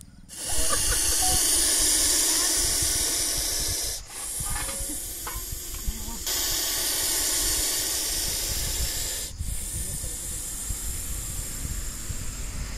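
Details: Aggressive Russell's viper captured in a rescue at Baramati, Maharashtra, India, producing loud, harsh, continuous hissing in four long bursts broken by short gaps, with faint voices underneath.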